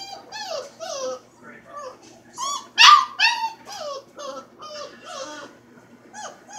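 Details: Freaky Frankenstein, a four-week-old puppy indoors, giving a run of short, wavering, high howling yelps, many bending downward, about two or three per second, with one louder, strained cry near the middle.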